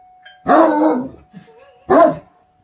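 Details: Two heavy, resonant barks from a Great Dane about one and a half seconds apart, the first longer and drawn out, a soft grunt between them and a faint steady tone underneath.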